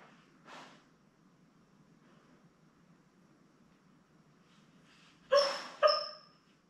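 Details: Labrador Retriever puppies, a litter of seven newborns born May 24, 2021, with their mother Belle on a puppy cam; soft murmurs, then two sharp high yelps in quick succession near the end.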